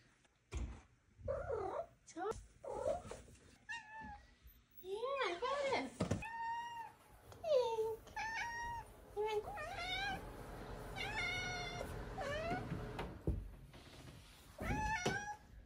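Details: Tink, a female Maine Coon kitten aged five months, chatters at home before being fed: quick chirrups, bent trilling meows and longer drawn-out mews in clusters, with a faint purr-like rumble and a woman's gentle voice.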